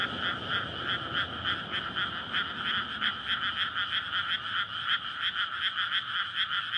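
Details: Dense night chorus of frogs calling for courtship in a flooded rice paddy in May, before rice planting, amid suburban housing; recorded on a SONY PCM-D100. Many overlapping pulsed croaks in two bright bands, steady and continuous, with faint low rumble beneath.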